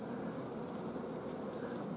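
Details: Steady collective droning of a honey bee hive at an apiary on 14 June 2016, where the colony, short of forage, keeps its queen from laying eggs. Continuous low hum with a few faint high ticks.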